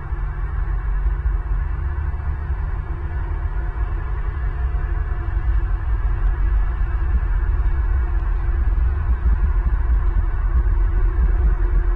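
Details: A steady low droning hum fills the clip, with no animal calls heard.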